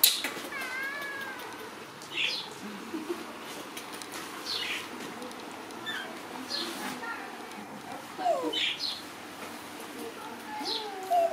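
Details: Friendly kitten named Chomran giving a short high, wavering meow with stacked overtones near the start, followed by scattered sharp chirps from birds nearby and a low background hum.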